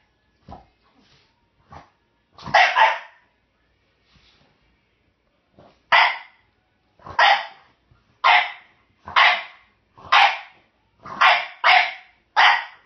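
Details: A French Bulldog gives short, raspy barks about once a second, demanding a bone held by a Jack Russell/Rat Terrier mix.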